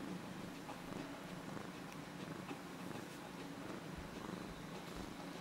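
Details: Cat purring as it rubs affectionately against someone, a continuous low rumbling purr with rhythmic pulsing, heard close up, with light rustling of fur.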